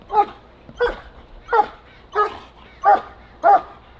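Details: German Shepherd dog during protection work gives six loud, deep barks spaced about every 0.65 seconds, each a short harsh burst, with a quiet background.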